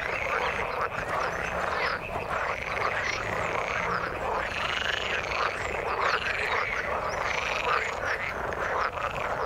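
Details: Frogs in the water give rhythmic arched croaks roughly every second, closely overlapping with a busy background chorus that never stops.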